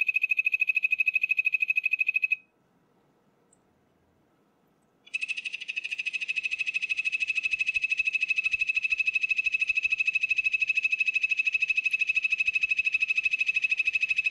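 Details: Poison dart frog trilling steadily in high, evenly spaced pulses, a two-second burst, a short silence, then a long continuous trill lasting nine seconds over faint low rustling.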